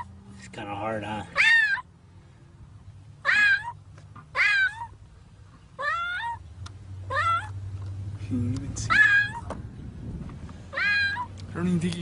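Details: Cat stuck in set concrete, crying out while people dig to free it; a string of insistent meows roughly every second or two, some doubled, over a steady low rumble and occasional voices.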